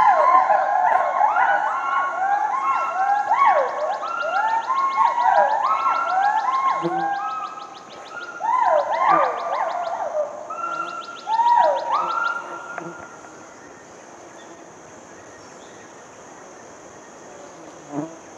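Hoolock gibbons call in loud, overlapping whooping hoots that swoop up and down in quick succession.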